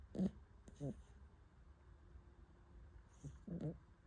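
A Shiba Inu–Corgi mix puppy snores in short, low, rumbling bursts with quiet pauses between breaths.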